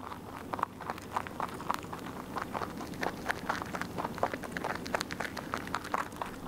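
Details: Rabbit munching away at a meal, making a rapid string of sharp, crackly bite sounds, several each second, with slight changes in loudness and a faint low background hum.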